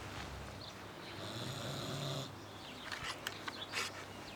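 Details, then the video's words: Harley the pig snoring in his sleep: one soft, breathy, raspy drawn-out snore lasting about a second, followed by faint clicking sounds against a low steady background hum. "Harley the snoring pig"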